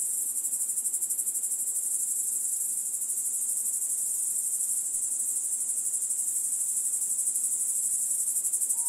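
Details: Grasshopper singing in a steady, shrill, sizzling drone that runs without a pause throughout, lightly pulsing roughly four times a second, with no other sounds standing out.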